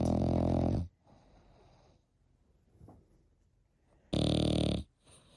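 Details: Snoring French Bulldog puppy, eight months old: two coarse, droning snores about four seconds apart, separated by faint wheezy breaths.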